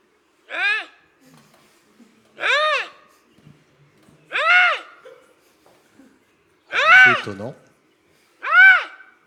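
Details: A Eurasian lynx recorded in the Jura gives five hoarse, meowing wails, each arching up then down, spaced roughly two seconds apart, with near silence between them.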